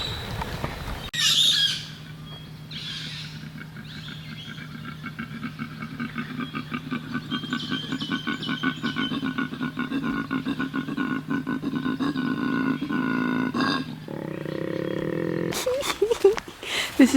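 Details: On Kangaroo Island, Australia, in mating season, a koala bellows in a deep, rasping, pulsed drone that rises and falls like throat singing.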